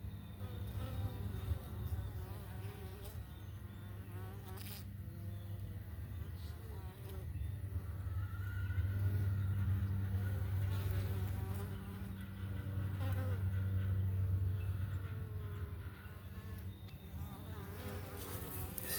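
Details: Italian honey bees at a morning hive check on a homestead, foragers returning with yellow, orange or red pollen on their rear legs; a dense, steady low drone swells and fades in waves, with passing wingbeat whines overhead.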